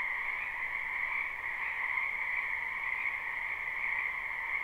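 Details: Spring wetland frogs in full chorus, recorded live: a continuous shimmering wall of high croaks over a fainter lower layer, holding even throughout, with no birds, people or wind audible.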